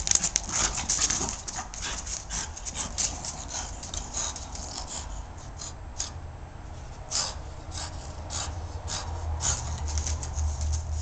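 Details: French Bulldog in a courtyard, attacking a tennis shoe; quick irregular snorts and pants, about four a second, mixed with scuffing noises and a low background hum.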